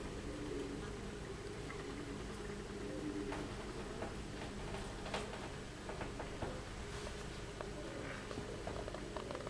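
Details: Inside a honey bee hive with the queen, workers and drones: a steady, low, droning hum of many wings.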